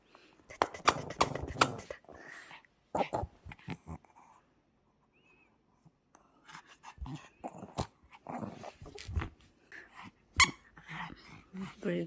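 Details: Pomeranian playing excitedly with its owner at home, indoors: rough, harmonic growls and yips pack the first two seconds, then a quiet gap, followed by scattered growls, scuffling and sharp thumps in a small room.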